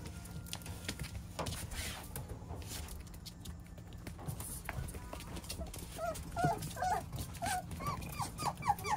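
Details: Chubby Beagle puppy: after rustling and handling noise, a rapid series of short, high, squeaky whimpers rises and falls in the final three seconds, each lasting a fraction of a second, with faint background music throughout.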